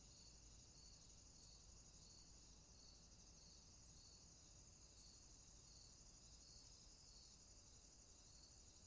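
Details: Summer insect chorus: an unbroken high-pitched hiss overlaid with regular throbbing pulses, roughly two per second, continuing evenly throughout with no other clear sounds.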